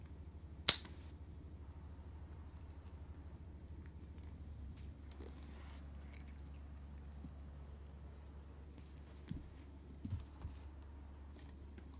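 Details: A low hum fills a quiet room, broken by one sharp snap early on and a few faint clicks later, with no animal calls.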